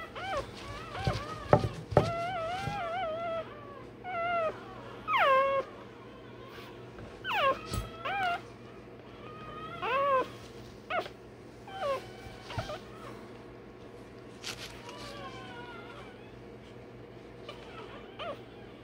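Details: While getting its tail and dewclaws done, a one-day-old Rottweiler puppy gives loud, shrill yelps and whines in bursts every two to three seconds. The cries are sharply rising then falling, with clicks and handling noise between them.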